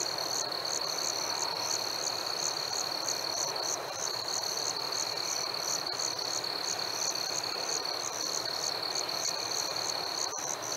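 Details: Crickets singing on a warm summer night, a piercing continuous trill topped by crisp chirps repeated evenly about twice a second, with steady hissing ambience.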